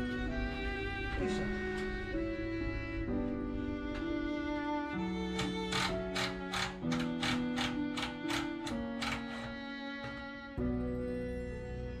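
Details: Bowed strings play a slow melody with plucked accents and no animal sounds.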